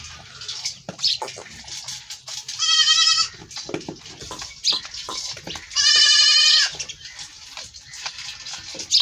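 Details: Goat fleeing after being milked, giving two strong quavering bleats about three seconds apart, each under a second long, over scraping, rustling background noise.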